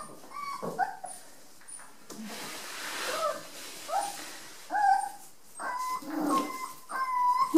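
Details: Five-week-old Rat Terrier puppies from one litter playing indoors in a bathroom on a wet, cold day; high thin whimpers and squeaky yelps come in short bursts, some with rising and falling whistled tones, amid scuffling and a woman's voice.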